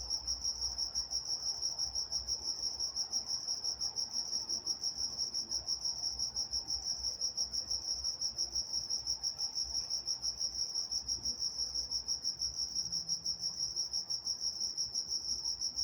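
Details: Night-time crickets in Walnut, California: a steady high-pitched chirping band, pulsing in rapid regular beats with a fainter higher overtone, continuing unbroken throughout, over a soft low background rumble.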